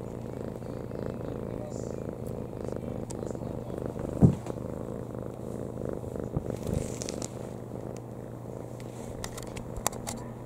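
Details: Lap cat purring contentedly indoors: an even low rumbling purr, interrupted by a brief sharp knock near the middle and light handling noises.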